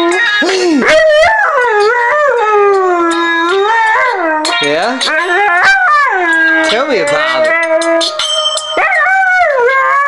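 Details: A Siberian Husky, just woken, howls in long, wavering, yodel-like tones along with a song or ringtone played on a phone.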